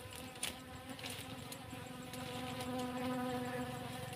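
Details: Honey bees at a farm behind a cassava field during honeycomb harvesting, giving a continuous humming buzz with a clear overtone ladder that swells slightly louder toward the end, over a few light taps.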